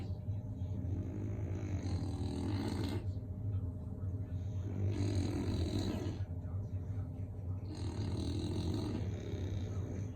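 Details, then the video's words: Two sleeping English bulldogs give heavy, rough snores. Three drawn-out rasping breaths come roughly every three seconds over a constant low droning hum. "Snoring Bullies!"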